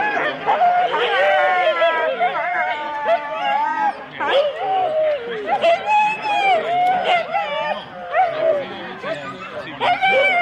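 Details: Excited Husky teams, four dogs each, waiting at the start of a January 2016 race in Rendlesham, a crowd of dogs howling and barking in overlapping wavering cries, people talking beneath.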